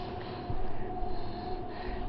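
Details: A 4½-to-5-month-old English Bulldog puppy snores in low, rough, snorting breaths, sleeping by a desk with his tongue out and eyes open after playing hard.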